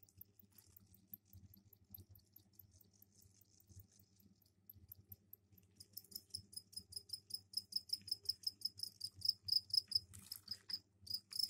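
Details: Captive crickets in a container, given a soil tray for egg-laying, sing their mating calls indoors; the second half brings a run of rapid high pulsed chirps that grow louder, with faint chirping before and a low hum underneath.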